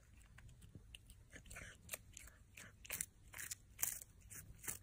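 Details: A feeding cat crunches repeatedly, with bright, crackling bites growing louder and denser toward the end, roughly two to three bites each second.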